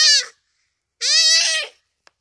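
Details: Dying common duiker crying for help while a cheetah kills it, rainy afternoon at Phinda Private Game Reserve. A cut-off bleat is followed by a longer, wavering, nasal cry, then a single click.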